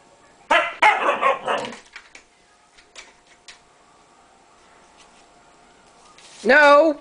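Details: Indoor dog barking at the cat out of a wish to play. A burst of several rapid rough barks is followed by quiet, then a person's sharp spoken exclamation at the end.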